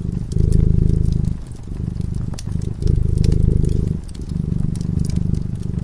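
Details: Low, throaty purring from a cat drifting into sleep beside a fireplace. The rumble swells and fades in breath-length phases of about one to two seconds, with snapping crackles from the flames.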